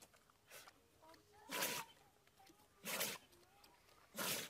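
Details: Dog sneezing: three sharp, breathy bursts spaced a little over a second apart, each brief and explosive, against a quiet background.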